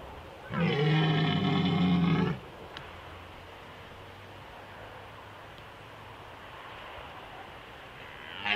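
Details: Red deer stag roaring during the rut in the Small Fatra, Slovakia, 2021: one deep, harsh, drawn-out roar of nearly two seconds, rich in harmonics, then quiet open-air background.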